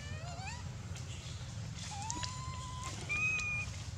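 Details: Hungry baby monkey Dito wailing because there is no milk, biting Anya; a short rising cry, then a long flat whine, then a higher drawn-out squeal, over a low background rumble.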